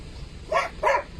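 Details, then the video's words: Mailo od Moslavine, a dog, barking in the blind: two loud, harsh barks about a third of a second apart, rising from a quiet background. "MAILO OD MOSLAVINE barking in the blind"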